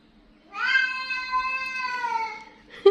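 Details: An angry, grumbling domestic cat gives one long, drawn-out meow lasting about two seconds. It holds a steady tone, then sags slightly in pitch at the end, in a quiet indoor setting.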